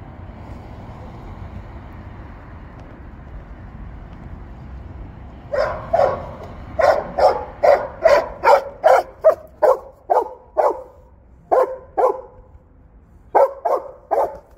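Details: Belgian Malinois at work: after about five seconds of low rumbling background, a run of sharp, loud barks begins, coming roughly two per second, with short pauses between bursts.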